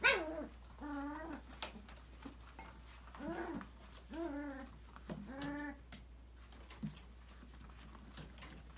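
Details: Playful five-week-old Australian Labradoodle puppies, Autumn's December 2020 litter, in an enrichment play area: a series of short, arching whimpers and whines, clustered in pairs, with quiet gaps and light background noise.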